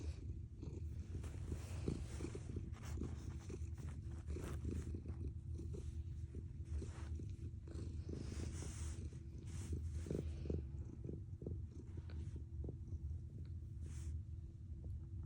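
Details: A cat purrs with a heavy motor-like rumble, steady low vibrating pulses, joined midway by a burst of hissy rustling noise before the purr continues alone.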